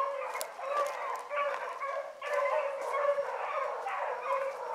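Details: Several hound pups chasing a rabbit in the morning keep up a dense chorus of mid-pitched bawls and yelps, voices overlapping in pulses with brief dips between.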